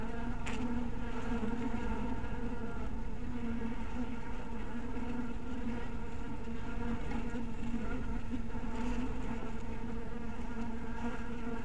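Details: Dusk at a cottage beehive: honey bees hum in a dense, steady, low-pitched drone, with a brief tick near the start and otherwise no break in the buzz.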